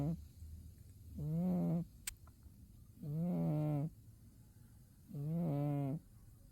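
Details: Sleeping through winter, the cat Umi snores with three long, buzzy, droning breaths evenly spaced about every two seconds, a single faint tick between them.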